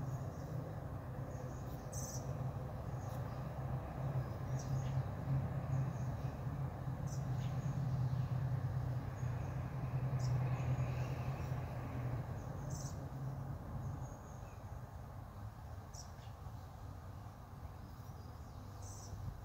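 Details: Dense low humming of honey bees at a hive entrance at 5:15 pm, 45 minutes after robbing. It strengthens midway, then drops a little after fourteen seconds, with faint high chirps and ticks intermittently.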